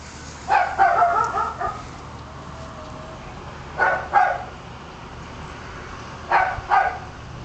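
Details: A female dachshund in Hawaii gives short, sharp barks in quick bursts of two or three.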